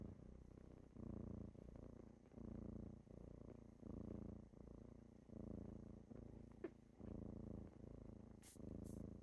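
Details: Kittens purring as they wake their owner in the morning, a steady low rumbling purr rising and falling in long breaths about every one and a half seconds, with a couple of brief soft clicks near the end.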